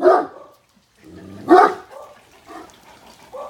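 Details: Great Danes on backyard patrol give two deep, loud barks at a neighbour's dog, spaced about a second and a half apart, with quiet talking between.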